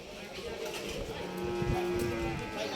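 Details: Cattle at the 2024 Qurbani cattle market at Hazratpur haat; a brief, steady, low moo lasting about a second rises out of dense crowd chatter and market noise.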